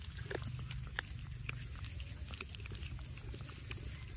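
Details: An otter chewing on a sea bass in a forest: steady low crunching and smacking with sharp wet clicks scattered throughout, and a faint high hiss in the background.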